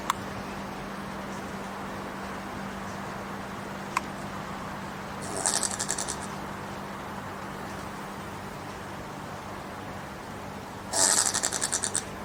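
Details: Common brushtail possum in Queensland, Australia, giving two short, harsh, rapidly pulsed rasping bursts several seconds apart, set against a steady low hum and faint background hiss.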